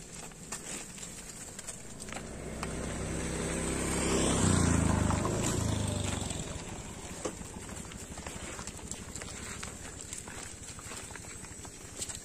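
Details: Tame village cattle roaming the fields and drinking at a village lake give one long, low moo that swells and then fades over about four seconds, with faint clicks and rustling outdoors around it.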